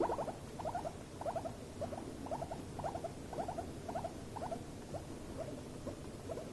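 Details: Stress squeaking from two guinea pigs in an escalating clash: short trembling bursts of squeaks roughly every half second, each burst made of quick pulses, steady and insistent.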